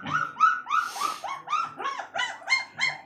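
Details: Saint Bernard puppy offered at a pet shop in Azamgarh, Uttar Pradesh: a string of high whining yelps, each rising then falling in pitch, repeated about three times a second.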